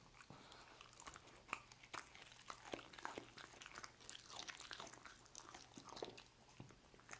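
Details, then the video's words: Indoor recording of a dog chewing roast beef: loud crisp crunches and snapping bites, some isolated and sharp, others in quick bursts, over a low electrical hum. "Dog Eating Roast Beef"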